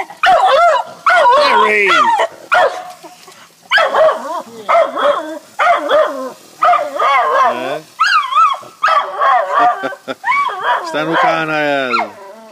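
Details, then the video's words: Jack Russell and beagle cross dog barking excitedly at a beagle down the road: rapid run of wavering yelping bays and barks, nearly continuous, ending in a high rising yowl, with a person calling the dog. "Jack Russell x Beagle barking at full breed Beagle"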